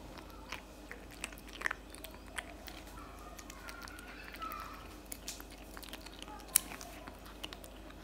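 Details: Cat chewing cat food in a small room, softer and steadier than a burst: irregular crunchy bites spaced roughly half a second apart, with one sharp crack late on.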